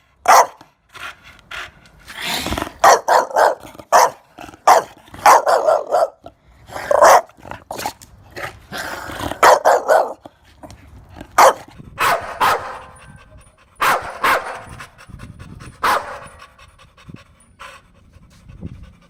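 An American Bully gives deep, rough barks in irregular bursts, some drawn out and growly.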